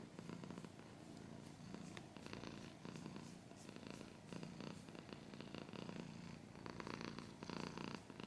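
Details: Purring domestic cat with scratching noises: continuous low rumbling purr swelling and easing in breath cycles about every second, overlaid by short crisp scratching bursts.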